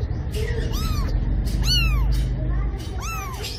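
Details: Cat meowing: three short, arched mews, each rising then falling, spaced about a second apart over a constant low background rumble.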